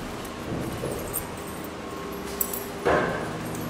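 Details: Dog at DogPlay Dog Daycare in Vancouver on a Saturday morning; a single loud bark near the end follows softer muffled dog sounds, with a steady indoor hum beneath.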